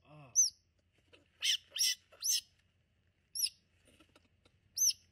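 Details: Squirrels caught up in a tangled mess inside a garage while someone works to free them: a few isolated high, thin squeaks separated by scuffling and brief rustling bursts, otherwise quiet.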